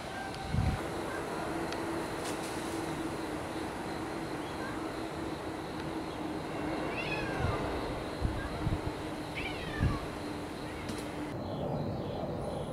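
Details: Several cats looked in on following a typhoon in early October 2014; two soft, short meows come a couple of seconds apart, set against a continuous low rumbling background and occasional thumps.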